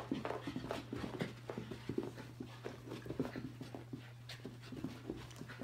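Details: A Shiba Inu pants in quick, breathy bursts during a bout of zoomies, over a steady low electrical hum.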